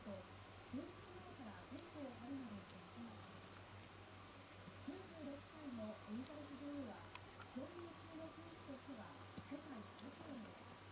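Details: Very young Shiba Inu puppy 屈, opening its eyes and ears and starting to walk, gives a steady series of quick, rising-and-falling whimpers, nearly continuous over eleven seconds against low room hum.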